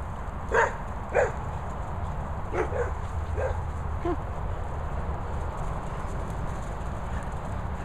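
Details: Guard dogs at Bumble Hole, a dog training and boarding kennels in the Worcestershire countryside. Five sharp barks sound over about four seconds, the first two half a second apart, over a steady low hum and background noise.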